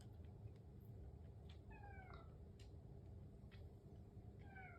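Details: Pet cat at home in the morning, waiting for breakfast, giving two short meows that slide downward in pitch, about three seconds apart, against a constant low room hum and a few faint taps.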